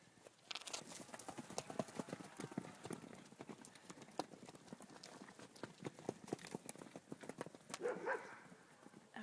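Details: At night, frightened horses stamp and move about in the dark, hooves thudding and clopping unevenly, with upset cows nearby. The owner suspects something unseen is out there and that the cows' calves were taken that day.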